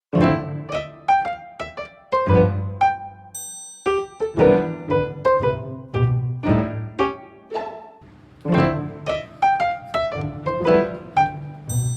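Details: Gentle piano and pizzicato strings play a light, bouncy tune with cello underneath, and no animal voice.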